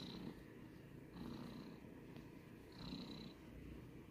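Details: Pet cat purring close up, a low grainy rumble with breathy hisses on each inhale about every one and a half seconds.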